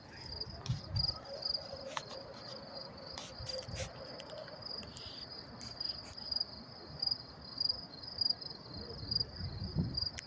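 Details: Night crickets in New York City, recorded up close on May 28, 2024, keep up a steady, high, thin chirping pulse, joined by occasional sharp clicks and a faint low hum.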